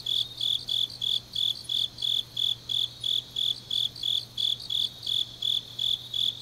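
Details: Night-time grass insects in autumn, recorded in Changnyeong, South Gyeongsang, Korea: a steady run of sharp, high chirps near three per second, a second faster insect trill on top, and a faint low background hum.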